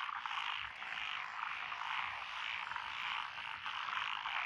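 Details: A lotus rice paddy chorus in Echizen, Fukui Prefecture, Japan, recorded 12 June 2021, with Japanese tree frogs, pond frogs, wrinkled frogs and green tree frogs; continuous overlapping rasping croaks that swell and dip slightly.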